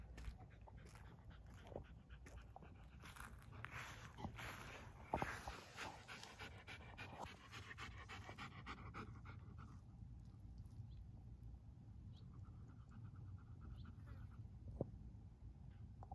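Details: Great Pyrenees puppy panting while playing soccer, quick breathy rhythmic puffs that run steadily through the clip over a low background rumble, with a few soft knocks and thuds.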